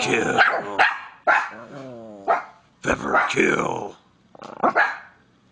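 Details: Angry Miniature Pinscher giving sharp, harsh barks in quick bursts, several rough calls with short pauses between them, mixed with a person talking to it and laughing.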